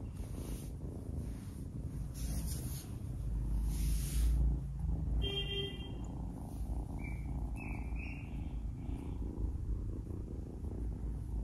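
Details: Kitten newly adopted, playing and nipping at fingers, gives a low rumbling purr; a short harmonic squeak cuts in midway, followed by a few high chirps.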